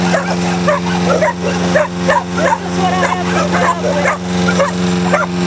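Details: Several dogs, pit bull types and a Jack Russell type, bark frantically at a running lawnmower in a backyard; repeated sharp yapping barks, some whimpers, under a constant engine hum.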